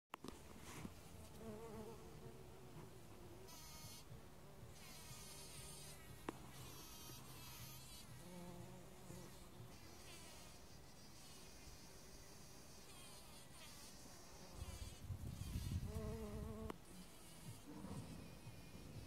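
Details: A bumblebee's deep, droning buzz rises and falls as it moves among anemone flowers.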